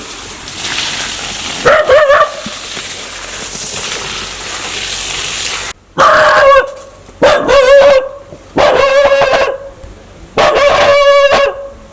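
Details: A dog gives harsh, ringing barks in short bursts roughly every second or two, an aggressive threat as if wanting to bite people.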